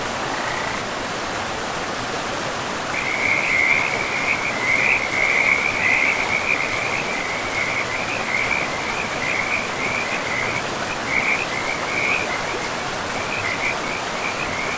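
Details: Frogs calling by a river in a pristine forest with moss-covered land. A rapid, trilling chatter of high notes carries on from the third second to the end, over a steady broadband rush of flowing water.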